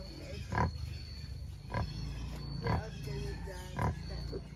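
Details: Free-range native black pigs in Albay grunt deeply, with four low, husky grunts spaced roughly a second apart over a steady rural background hum.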